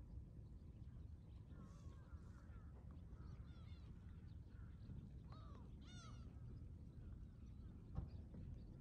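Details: Excited Shiba Inu named Ranmaru whining from behind a fence toward guests during a meeting: thin, wavering, nasal cries in several bursts, some bending sharply upward then dropping, with low room rumble throughout.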